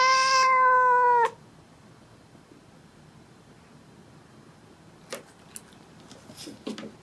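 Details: Male cat squaring up to its mother at home in South Korea, 2017: one loud, rich, steady yowl of just over a second, then quiet broken by several brief clicks and scuffs of movement.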